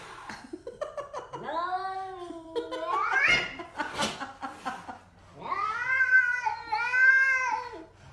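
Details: Domestic cat vocalising among common cat noises: several drawn-out, wavering meows with rising-then-falling harmonic arcs, a brief sharp noisy burst mid-clip, then two long whining meows; background music and a person's voice between calls.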